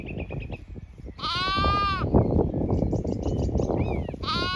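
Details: Zwartbles flock with lambs grazing in late afternoon on a County Kilkenny farm, Ireland; one long quavering bleat, then a shorter one at the end, against constant grass-tearing rustle and twittering birds.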